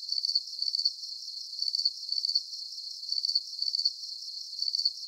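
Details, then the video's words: Crickets chirping in a calm sleep soundscape: high, thin pulsed chirps in short bursts, grouped in clusters roughly every second, with quieter gaps between clusters and no other sounds. "Calming Cricket Sounds"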